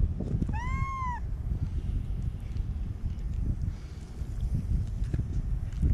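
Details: White stray kitten in Okinawa, Japan, being held, gives one short arched meow lasting under a second, rising then falling, followed by steady low rumbling handling or wind noise.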